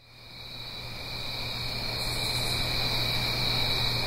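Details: Crickets singing on an autumn night in the Blue Ridge Mountains, uphill from a stream: a steady, shimmering high trill with a fainter lower band fades in over soft rushing water and a low hum.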